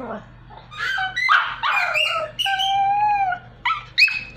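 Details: A small Pomeranian dog trying to sing indoors, giving a string of whining, howl-like tones that slide up and down, with a long wavering note near the middle and short high yelps at the end.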